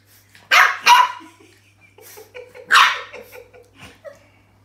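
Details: French Bulldog puppy, unsure about a new toy and watching it from a safe distance, gives two quick sharp barks, then a third after a pause, with soft low grumbles and a person's voice between.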